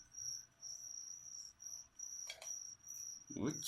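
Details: Crickets kept as live food for a pet leopard gecko chirp in high, thin pulses, roughly two per second, with a few brief knocks and handling noises partway through.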